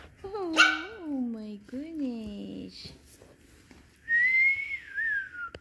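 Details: Pomeranian puppies whimpering: two drawn-out, harmonic-rich whines sliding downward over the first three seconds, then a person's steady whistled tone near the end.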